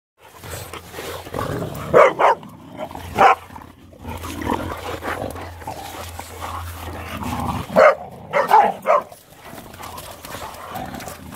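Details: Boxer dogs playing, giving scattered sharp barks in short clusters near two, three and eight seconds, with a steady low hum and rustling between.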